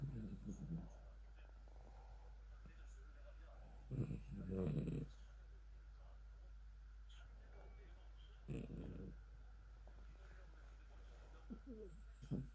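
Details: A tired poodle snoring in its sleep indoors: soft, low, breathy snores swelling roughly every four seconds over a steady low hum, with quiet pauses between breaths.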